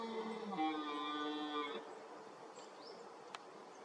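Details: Ten-point red deer stag roaring toward the camera during the 2023 rut, emerging from reed beds; a single harsh, harmonic roar lasting under two seconds, its pitch stepping upward then breaking off, followed by quiet with faint chirps.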